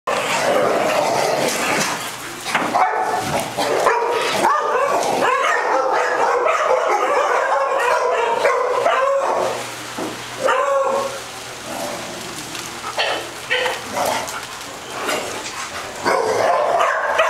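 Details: Several dogs with the zoomies at a doggie day care in Las Vegas, Nevada, on October 5, 2009, barking and yipping in a dense, overlapping chorus, with short pauses and quieter moments in the second half.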